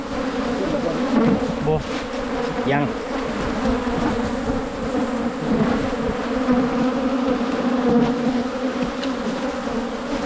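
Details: A wild Asian honey bee colony drones continuously while honey hunters work at the nest in 2022. The humming holds an even, low pitch throughout, with faint scattered clicks and rustles.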